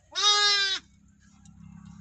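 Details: Newborn lamb, one day old, in a village: a single loud, steady, high bleat of about two-thirds of a second, then a low background hum.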